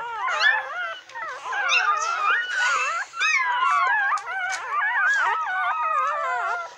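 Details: Several newborn puppies of a retriever mother, just minutes to an hour old, cry together indoors: dense tangle of high, quavering whimpers and squeals, wavering up and down without a break, one short dip near the middle.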